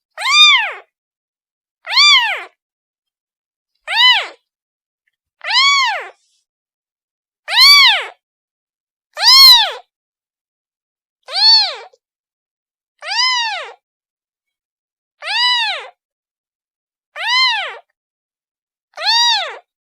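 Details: Kitten calling for its mother: eleven clear arched meows, each rising then falling, repeated about every two seconds over complete silence.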